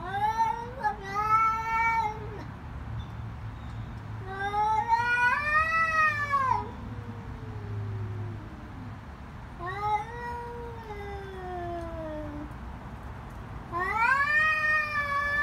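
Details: Cats in a fight trade loud screeching caterwauls, four separate drawn-out cries that rise, waver and fall over fifteen seconds, with low background rumble in between.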